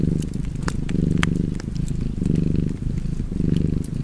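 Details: Rhythmic rumbling purr of a cat, rising and falling with its breathing about once a second, accompanied by light crackles from a nearby fire.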